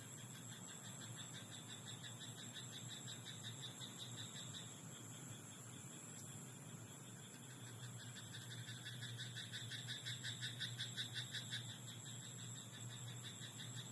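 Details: Rice paddy at night with a frog croaking: quieter scattered croaks at first, then a clearer run of quick regular pulses near the end, all over continuous buzzing insects and a faint low rumble.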